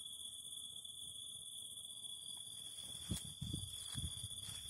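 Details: Cicadas singing beside a crackling fire: a steady, piercing high-pitched whine with a fainter shimmering band above it, while sharp pops and soft crackles of burning wood burst in around the middle.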